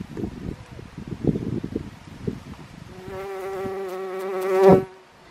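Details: Bees on vetch at Rainham Marshes Nature Reserve: short low buzzy flutters at first, then a close bee hums a steady rich drone that swells loudly for two seconds before cutting off abruptly.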